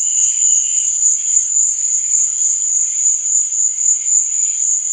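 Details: Night crickets give a continuous shrill, ringing trill at a steady level, while fainter, lower buzzy chirps drift in and out underneath.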